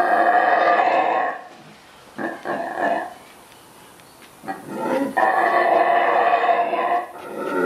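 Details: Saraguate, the mantled howler monkey of Central American rainforest, gives deep rasping roars. A long bout opens, then come brief grunting bursts, and a second sustained howl builds near the end.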